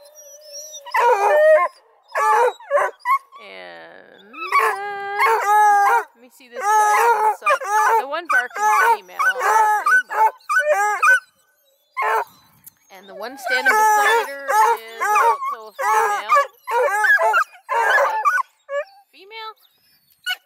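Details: Hound crew of Bluetick, Redbone and Black and tan coonhounds at a kennel near Kingston, Ontario, Canada, two Bluetick females among them, bay in loud, drawn-out, wavering howls and barks, several voices overlapping in bursts with short pauses, a person talking in between.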